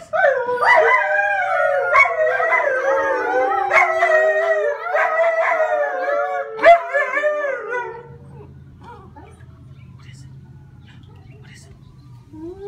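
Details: A pet puppy howling: a wavering, tonal howl that rises and falls and continues for about eight seconds with a few sharp breaks, then fades out, leaving only a quiet low hum.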